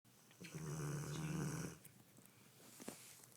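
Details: Pet dog named Shooter, passed out asleep after Thanksgiving, gives one long, low, rumbling snore lasting just over a second indoors, followed by quieter breathing and a few faint clicks.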